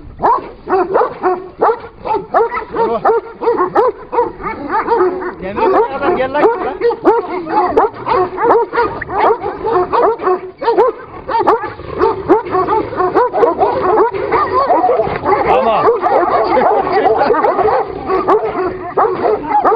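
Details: Two Kangal dogs fighting: a nearly continuous tangle of gruff barks, yelps and snarls for twenty seconds, with a man speaking Turkish over the fight.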